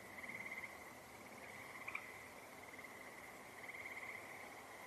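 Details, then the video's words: Frogs call in a steady high-pitched chorus near water by the trails late in the day on 14 June 2025 under cloud cover, with two short bursts of rapid pulsed trills near the start and end. "Those are frogs you're hearing over here."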